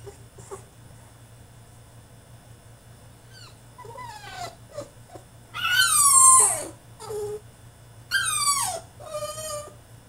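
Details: Caged French Bulldog in a tantrum, whimpering softly at first, then bursting into loud, shrill yelping whines that drop in pitch, several bursts in a row with brief pauses, steady low hum of a room behind.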